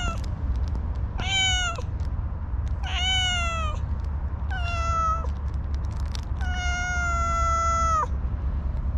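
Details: Four high, clear meows from an orange tabby cat with a very cute voice that will not easily open up; the last call is the longest. A constant low-frequency rumble runs underneath.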